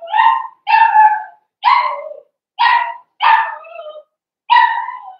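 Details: Blenheim Cavalier King Charles Spaniel puppies, one of a litter of five born around New Year's, bark six times in sharp, high, yapping bursts roughly every second, each short and slightly falling, with quiet gaps between.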